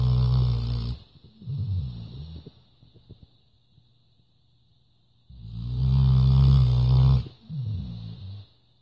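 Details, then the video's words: A female Labrador Retriever snores in two deep, rumbling, rattling bursts about five seconds apart, with softer snuffling breaths between them; Labrador Retriever. "Labrador Lilly schnarcht"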